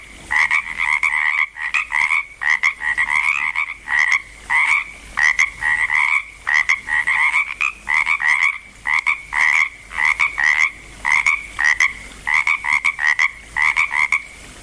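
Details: Several frogs croak near Langlois, Oregon, as the chorus builds. Short pulsing two-tone croaks come in clusters about every half second, overlapping and stopping briefly between bursts.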